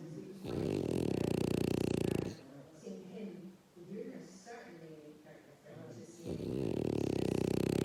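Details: Zeus the dog snoring: two heavy, rattling snores nearly two seconds long, separated by a stretch of low conversation between people in the room.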